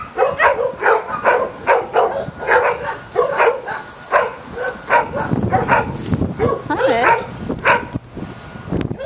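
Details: Dog barking in a rapid, regular series of short sharp barks, roughly four per second, followed by a few whining, wavering yelps toward the end.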